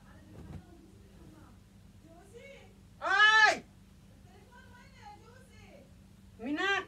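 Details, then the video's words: Kitten indoors, playing with a bed sheet: two loud, drawn-out harmonic meows, the first at about three seconds rising then falling, the second near the end rising sharply, with soft speech and quieter murmurs between them in a small room. "Kitten she like to play with bed sheet #meowing"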